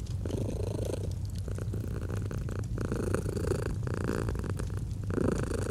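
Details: Domestic cat purring steadily in a cozy autumn fireplace setting: a deep, continuous rumbling throb with soft breathy swells, while the fire crackles and pops throughout.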